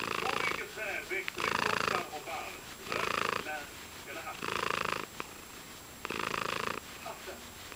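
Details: Contented house cat purring close to the microphone, with loud rumbling stretches of roughly a second broken by softer gaps as it breathes in and out.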